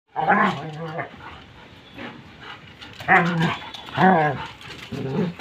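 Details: German Shepherd during a dog fight: four loud, tonal, strained barks with a growling edge at irregular spacing, each about half a second long, separated by quieter gaps with a faint background rumble.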